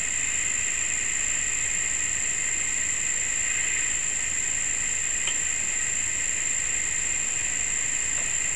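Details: A persistent cricket makes a steady, unbroken high-pitched trill, with an even thinner, higher tone laid over it. The sound holds at the same level from start to finish.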